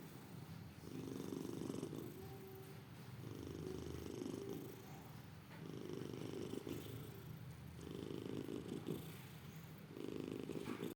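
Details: Dozing house cat snoring in slow, even breaths: a throaty low rumble swelling for roughly a second at a time, five snores with short pauses, quiet indoor background.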